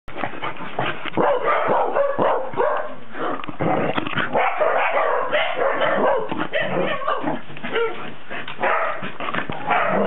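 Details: Cardigan Welsh Corgi, recorded 19 December 2008, giving a dense run of sharp, rapid barks and yips with almost no pause, the bursts overlapping in a busy, excited stream across the whole stretch.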